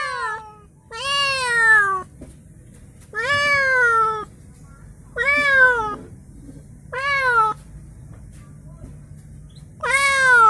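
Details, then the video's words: Newly arrived pet cat, received as a gift and kept in a small cage, crying: five loud, drawn-out harmonic meows, each rising then falling, spaced every two to three seconds with quiet gaps between. "Ada temen baru kucing menangis"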